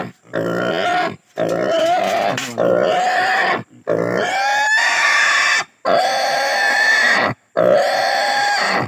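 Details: Native pig squealing as it is castrated, a run of strained, quavering shrieks, some cracking or rising at their start, each lasting one to two seconds between sharp breaths.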